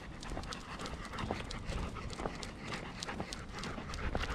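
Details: Golden Retriever panting outdoors during a cherry blossom viewing outing at Ain village on 27 March 2022. Quick, breathy huffs run irregularly under a steady background hiss.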